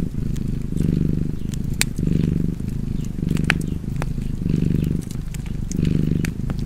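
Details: A cat purrs contentedly next to a crackling fireplace. The low, throbbing hum rises and falls in roughly five breath cycles, and bright snaps from the burning logs cut in now and then.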